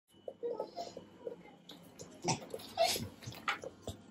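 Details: Gromit the beagle chattering his teeth because he is hungry and thinks breakfast is late; quiet, irregular sharp clicks and ticks in short clusters, with soft snuffling and breathy noises between them.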